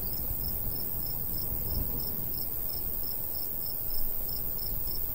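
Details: Crickets in summer countryside beside a golden wheat field, chirping in a steady, rapid series of short high pulses, several each second, over a low rumble of light breeze.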